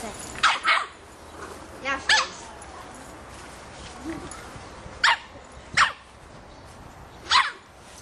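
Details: Three-and-a-half-month-old Boston Terrier puppy barking at a soccer ball, several short, high-pitched yaps spaced a second or two apart, some in pairs, with people talking quietly between them.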